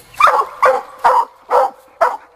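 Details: Young Black and Tan Coonhound named Sadie, on a coon hunt after getting her raccoon, giving five loud bawling barks spaced about half a second apart, each with a hoarse, slightly rising tone.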